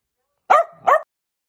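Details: Miniature dachshund at play, giving two short, sharp barks about a third of a second apart. Each bark is a harmonic-rich yelp, with a soft low murmur between them and silence before and after.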